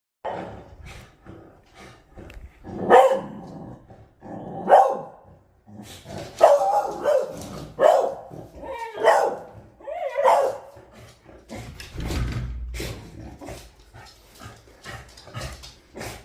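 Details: Male beagle indoors, scared of a monkey sitting on the balcony yet wagging his tail, giving short harmonic barks and yelps in several bursts, with background music and a man softly reassuring him.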